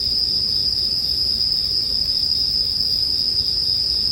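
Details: Continuous ringing of bell crickets, one bright high pitch held without a break, over a soft low murmur from the bonfire track, as calming sleep music.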